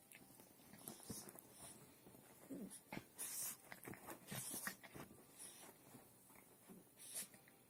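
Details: Two dogs in a peaceful, playful fight indoors; soft growls, snuffles and brief whimpering noises come in bursts, with scuffling and clicking sounds of movement between them.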